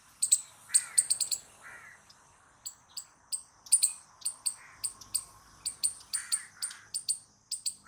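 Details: Squirrel making loud noises: bursts of quick, high, sharp chips, then a steadier repeated series, with a few softer mid-pitched squeaks mixed in.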